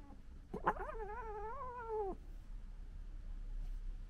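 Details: Wild urban European red fox cubs in the UK, recorded 15 July 2021 in 4K; a dominant male cub among them. One wavering, whining tonal cry lasting about a second and a half, sharp click at its start, then quiet background hiss.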